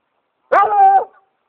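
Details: A Redbone Coonhound out on a walk, after leading to a tree while hunting, gives a single drawn-out, steady bay with a rich, ringing tone.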